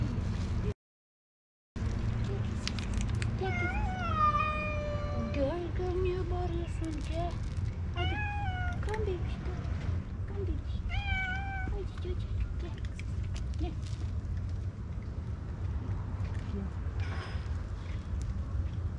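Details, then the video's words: Istanbul street cat on a car, asking to be fed and petted, makes several quieter meows spaced a few seconds apart: a long falling one, then shorter bent calls, with a person talking and a steady low urban rumble behind. "Cat on the car is meowing and trilling so cute"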